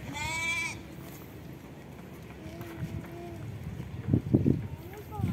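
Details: A goat that has gone into the mud, supposedly after fish, lets out a short, sharp, high bleat at the start, followed by people chatting and exclaiming loudly nearby.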